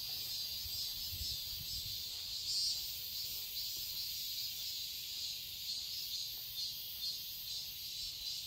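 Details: Cicadas in summer in a Seoul garden, Korea, producing an unbroken high-pitched buzzing drone with gentle swells, over a quiet low rumble.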